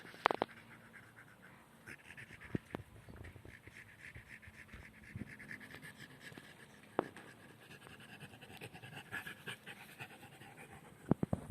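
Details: French Bulldog named Den resting outdoors on summer grass beside a Central Asian tortoise named Kesha; soft, quick, breathy panting under a steady hiss, broken by a few sharp clicks.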